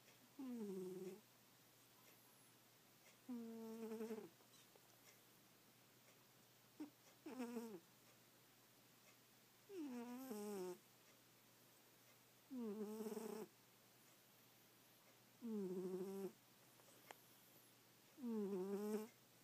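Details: Domestic cat asleep and snoring hard: eight steady, voiced, droning breaths, each slightly falling in pitch and spaced roughly every two and a half seconds, plus a few faint soft clicks in a quiet indoor room.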